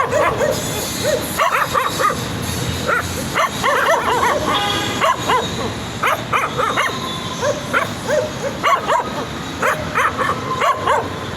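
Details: A group of excited puppies yip and bark in quick overlapping bursts, with some sustained tonal sounds woven through the busy chorus.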